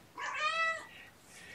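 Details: Gamora, a mother cat with a litter of five kittens, calls the babysitter indoors on a June 2018 morning. A single clear, drawn-out meow swells and then fades, about half a second long.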